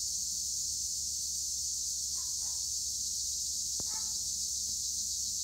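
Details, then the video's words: Tree crickets (Acheta assimilis) in olive trees at Güre, Edremit, Turkey: a steady high sizzling chorus, with a couple of short, faint chirpy notes and a sharp click midway. "Tree cricket noise in Olive trees"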